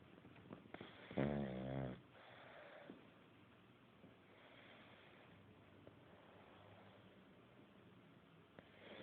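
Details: Pug named Buddy asleep, giving one rough, rattling snore just under a second long, followed by several seconds of soft, quiet breathing indoors.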